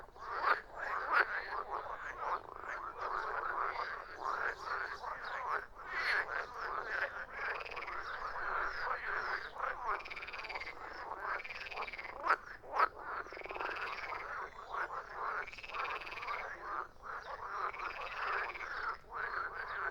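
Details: Many frogs croak together in an unbroken wall of sound, with rounded, swelling croaks standing out about once a second over the rasping background.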